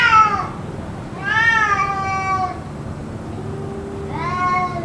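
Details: Cats yowling on and on in what may be a fight, continuing for about two hours: three drawn-out harmonic wails, the first falling, the next arching, the last rising, with a low steady hum underneath.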